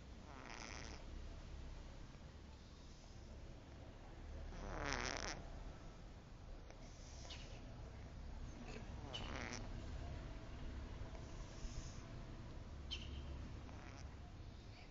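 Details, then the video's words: Sleeping cat snoring: soft, breathy rasping snores come in broad bursts a few seconds apart, the clearest two near the middle, over a steady low hum. "кот храпит"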